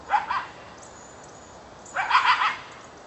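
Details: A coyote just over a back fence at about 4 pm gives two quick bursts of hoarse, yipping barks separated by a short pause; possibly calling its mate.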